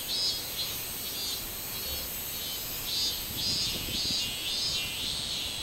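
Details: Song of a robust cicada recorded 24 July 2016: a shrill, wavering buzz pulsing roughly twice a second, with other cicadas sustaining a constant high hiss and soft low rumbles beneath.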